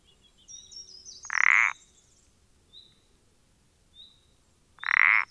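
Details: Two creaky, pulsed croaks about 3.5 seconds apart from a common parsley frog, recorded 14 April 2020. A high twittering chatter overlaps the first croak and faint short whistles fill the gap.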